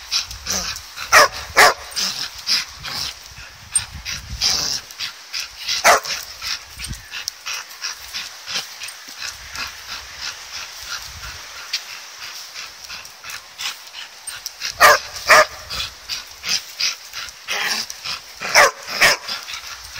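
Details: Two dogs barking madly while playing with a ball: sharp, harsh barks in rapid bursts, clustered in the opening seconds and again near the end, with quieter scuffling between.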